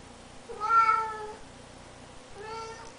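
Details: Bengal cat in a quiet room: one loud, drawn-out meow that climbs and falls, then a second softer, shorter meow about two seconds later.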